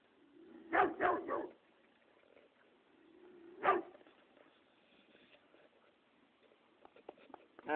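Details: Dog at the first day of a horse's training barks twice in quick succession, then once more after a pause of about two seconds. The barks are short and fairly faint, with low background noise and small clicks afterwards.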